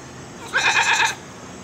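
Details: Pygmy goat at Sunway Lagoon giving one quavering bleat about half a second long, rich in harmonics and pulsing rapidly in a wavering tremolo, with a faint background hum before and after.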